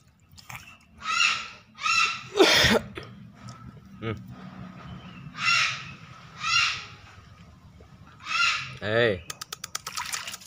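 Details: Pet otter, tagged as a baby, calling while bathing: harsh, raspy, buzzy cries in short bursts, about five spread across the stretch, with a louder scraping noise, splashy handling sounds and a final rapid clicking rattle.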